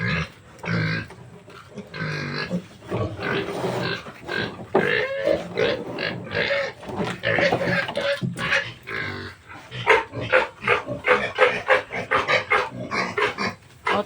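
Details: Native pigs, a sow and her piglets, at weaning time as the piglets are separated from their mother, who is kept in the next pen; dense runs of short, harsh grunts and squeals with people talking in between.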